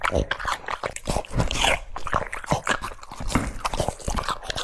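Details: Cucumber being chewed by a French Bulldog: rhythmic crisp crunches roughly every quarter second, mixed with wet smacking and licking, recorded close up indoors.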